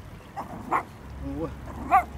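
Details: Puppies during a socialisation session, three of them together, giving short sharp barks and a yip-like call, with a soft whine between, over low background hum and a voice nearby.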